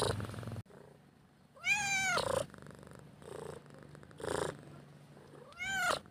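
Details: Cat begging for a meal: two long harmonic-rich meows that swell and droop, with gentle pulsed purring in the pauses between calls.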